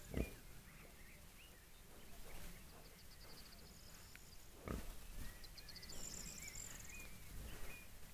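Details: Wild boar with a few short, low grunts and thumps, while small birds twitter and trill steadily in the background.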